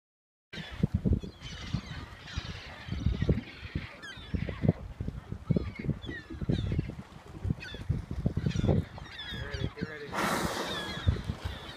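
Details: Two local humpback whales feeding in Blackfish Sound, British Columbia, on September 9th, 2015, give low, honking, trumpet-like calls among deep rumbling bursts of sound.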